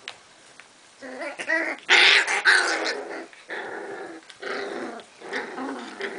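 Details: A litter of Cardigan Welsh Corgi puppies in Sweden, 22 March 2015, arguing among themselves after visitors left: rough, rasping growls break out after a second of quiet, peak in loud snarling bursts, then continue as pulsing grumbles with brief gaps.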